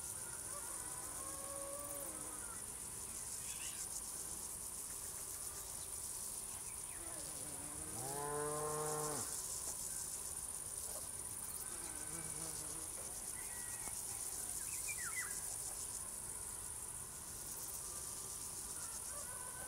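Crickets sing a steady, high, shimmering trill that never lets up, with a cow lowing once midway.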